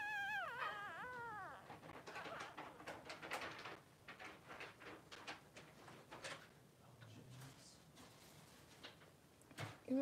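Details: Newborn Blenheim Cavalier King Charles Spaniel puppy, three days old, one of two boys in a whelping pen with mother Pom-Pom: a wavering, harmonic whine dipping and rising for under two seconds, followed by rustling, soft knocks and a later brief squeak.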